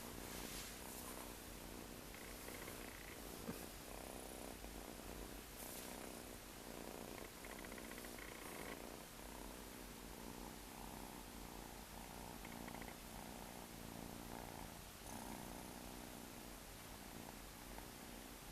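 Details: A stray cat living on the street purrs in a steady, rough, continuous rumble with a soft pulsing texture throughout, over a faint hiss and brief higher tones.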